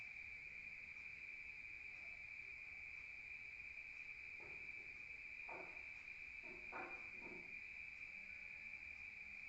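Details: Night-time chorus of crickets in the countryside: a constant shrill high trill, steady in pitch, with a few soft low knocks or rustles midway.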